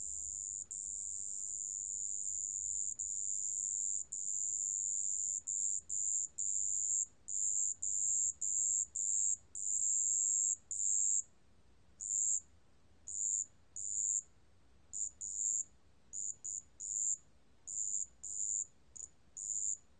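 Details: Marsh bell cricket, from the National Institute of Biological Resources in 2020, rings a long, continuous high bell-like trill that breaks up midway into quick short bursts with irregular gaps, no other sounds.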